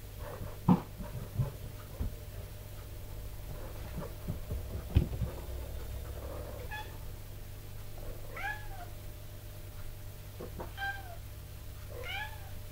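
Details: Mother cat Tipsu gives commanding meows to her kittens during stair-climbing practice. Three short, arched meows come in the second half, after several knocks and bumps early on, with a low background hum.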